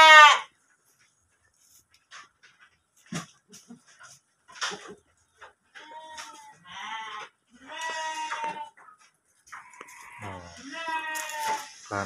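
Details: Pregnant kerikil goat kept in a pen in Tanjungjaya village, Cipunagara, Subang, bleating several times in the second half: wavering, nasal bleats of about a second each, preceded by scattered clicks and knocks, with a man speaking nearby.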